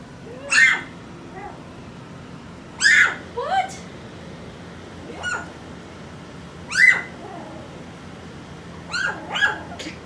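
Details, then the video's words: Four-week-old puppies from Skittles' litter giving sharp, high squealing yelps in scattered bursts, about six over ten seconds, with a person talking softly to them between cries. "Skittles pups 4 weeks old"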